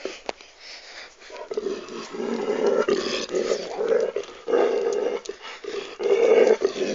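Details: Ole the dog makes a low, rasping growl of pleasure as his owner caresses his hips; the rumble swells in several loud surges over the final seconds, with no other sound competing.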